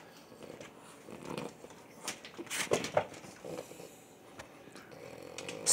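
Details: A French Bulldog and a Boston Terrier beg for food, giving rough snorting huffs and wheezy breaths with a short whiny note in the middle, while a person quietly coaxes them, asking if they want food.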